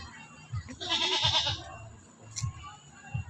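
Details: During feeding, a neighbour's goat makes a hoarse, drawn-out bleat lasting nearly a second, rough and nasal, while voices in Tagalog murmur and urge it on.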